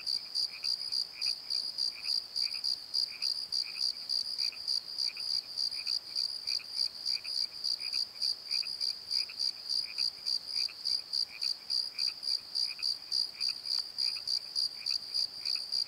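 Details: Night chorus of crickets in a valley bottom, a continuous stream of high, evenly spaced chirps about three per second, with fainter lower chirping interleaved throughout.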